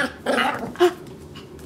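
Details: Maltese puppy chewing on a rug indoors in Illinois, letting out a low grumbling growl followed by one short yappy bark, then quiet.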